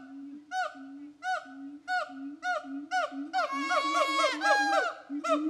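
A siamang gives loud, nasal hoots over a low droning boom, quickening into an overlapping chorus of whoops.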